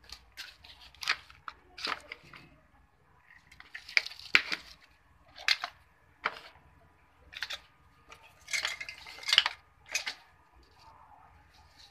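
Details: Clattering dishes, clinking cutlery and dripping water sound in a small indoor room, with no animal voice.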